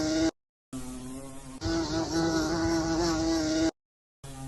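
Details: Steady droning hum of a bee, low-pitched with bright overtones, in segments split by two short silent breaks.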